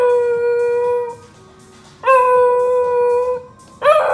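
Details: Pet corgi Fuji bursts into his own song while music plays from Spotify: sustained, even howled notes, two held over a second each, then a new one starting with an upward swoop.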